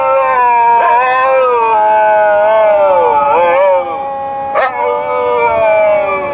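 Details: Dogs howling together during a car ride, described as singing: continuous overlapping tonal howls that slide down and back up, with brief sharp breaks between phrases.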